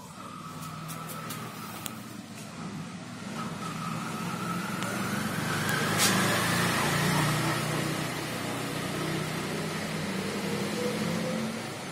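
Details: Passing road vehicles hum and swell under a steady urban rumble, with no animal sound.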